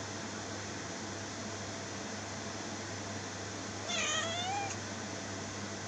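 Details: Brief meow from a domestic cat near the end, a short wavering cry that falls in pitch, after several seconds of steady background hum with no other clear sounds.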